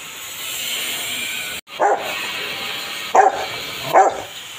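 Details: Rottweiler or Belgian Malinois at bath time gives three separate short barks, the last two about a second apart, over a constant hiss of running water.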